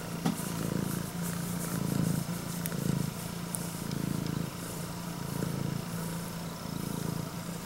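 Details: Female prick-eared Scottish Fold cat, red tabby and white, born 2020, purring loudly like an engine while greeting her owner: a low, steady rumble swelling and fading in roughly one-second breathing cycles, with faint rustling above.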